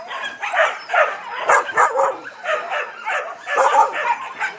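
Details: A litter of Yakutian Laika puppies producing steady rapid yelps and squeaky whines, dense overlapping high calls with little pause between bursts.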